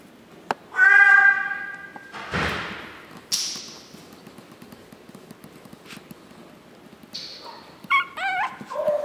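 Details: Chihuahua puppies recorded 9 April 2016 at Chihuahua World. A loud, harmonic, high-pitched squeal opens the recording, followed by a rustling burst. Wavering whiny yelps return near the end.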